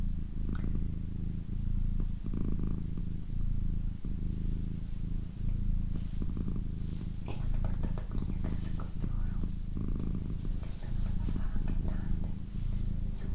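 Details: A female house cat purrs indoors for a relaxation recording, producing a continuous deep, vibrating rumble with rhythmic pulses, while quiet whispered speech and occasional soft taps sound in the background.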